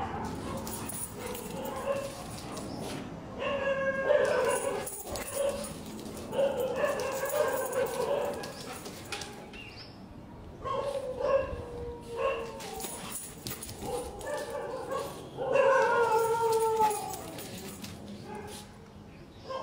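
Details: Long-coat German Shepherd puppies at a seller's in Delhi give high, whining yips and short barks in uneven bursts, each sliding downward, with a man talking between them and low background noise.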